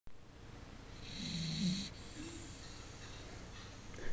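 A dachshund snores steadily in its sleep, each breath a low, rasping rumble with a faint hiss on top. A soft, breathy exhale follows the main snore.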